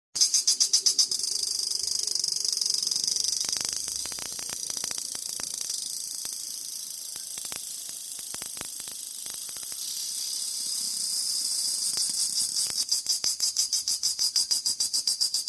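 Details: In summer, a cicada gives a high, hissing drone that pulses rapidly at the start and end.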